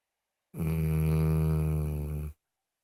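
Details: Loud snoring from Moses the dog: a single sustained low, rumbling snore of nearly two seconds, even in pitch and strength, ending abruptly into silence.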